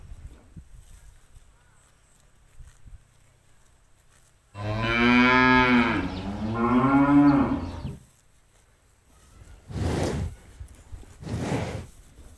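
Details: Cows grazing freely in an empty rice field, let loose to eat grass and play: one long, harmonically rich moo of about three seconds with a dip midway, then two short broadband noises in the quiet field.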